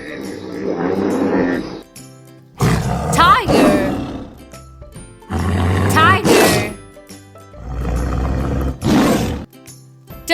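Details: Tiger roaring: three loud, rough roars spaced a few seconds apart, each with a deep growling base and a rising then falling tone, over soft background music and a voice saying the animal's name.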